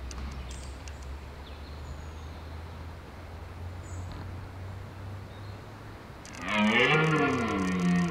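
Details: Wild red deer stag holding hinds in woodland during the rut: a steady low rumble and faint background, then near the end one loud, harmonic-rich roar of about two seconds, dipping then rising in pitch.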